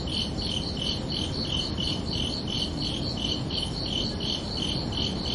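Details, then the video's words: Evening crickets chirping under a night sky, repeated high pulses in a steady, slightly uneven beat, two stacked bright tones per chirp, with a low continuous hiss behind. "Calming Cricket Sounds for Relaxation"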